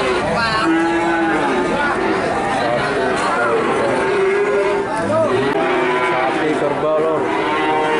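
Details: Several calves (cattle) from Nganjuk, Indonesia, calling at once. Moos vary from short and nasal to long and sliding, layered over constant crowd murmur.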